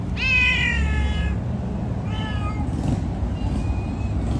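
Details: An orange cat gives a long, strong meow that bends downward, followed by a shorter second meow and a faint thin call near the end, against a low background hum.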